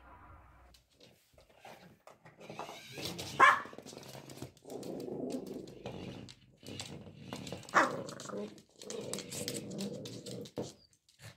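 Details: A one-year-old Cavalier King Charles Spaniel named Prada plays indoors with an automatic moving ball. She gives two sharp, high barks several seconds apart, each followed by stretches of low grumbling growls.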